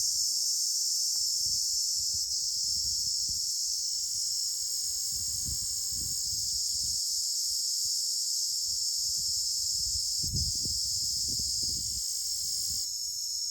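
Crickets give a steady, high-pitched shrill trill that runs without a break, with low thumps underneath.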